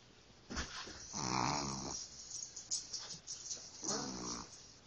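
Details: Snoring puppy asleep, a rough rasping inhale-exhale rising and falling over about a second, followed by softer snuffling and a second raspy snore, with small clicks and rustles around it.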